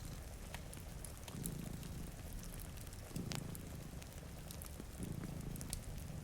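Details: Sleeping indoors by a rain-streaked window, two pet cats give a deep, vibrating purr rising in roughly three breath cycles about two seconds apart, with fireplace crackles and rain patter over it.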